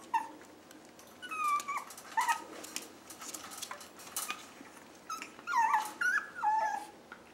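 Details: Chihuahua mix rescue puppies whimpering; thin, wavering whines rise and drop in short bursts, with scattered yips and rustling between them.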